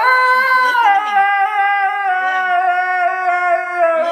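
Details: Indoors, a Husky called Blu answers being told off over his Furminator with a continuous drawn-out howl, rising slightly then sagging slowly over four seconds, full of stacked harmonics, faint scolding voice beneath.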